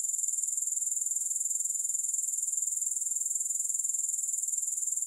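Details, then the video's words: Grasshoppers sounding steadily with no music: a continuous, very high-pitched shrill trill made of fast, even pulses, unbroken for the whole stretch, with no other sounds. "Grass Hopper Sounds"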